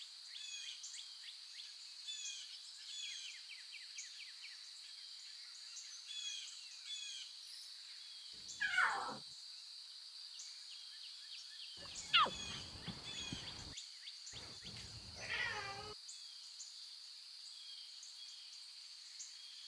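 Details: Wild lion cubs with their mothers give three short descending mewing cries spread over twenty seconds, each sliding down from a high squeal, against a steady high insect-like hum and scattered bird chirps.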